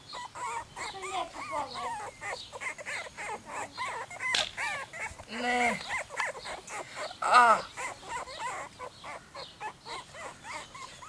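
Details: Several Croatian Sheepdog puppies whining at once, overlapping thin, bending squeals with a few louder yelps standing out midway, steady chorus of pups throughout.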